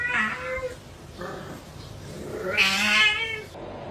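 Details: Kitten meows in a small indoor room, two nasal harmonic calls separated by a gap, the second louder and broader, with faint background noise.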